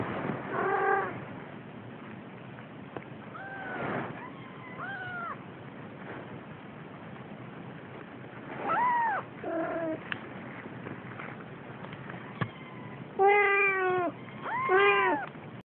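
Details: A playing Siamese kitten gives scattered meows: brief arched calls early on, then a pair near the middle and two louder, strongly harmonic meows near the end. Quiet gaps with faint clicks separate the calls.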